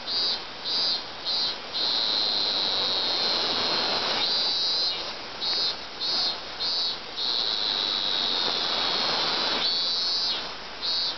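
A cicada's loud, high buzzing song, broken into short pulses that run together into long steady drones.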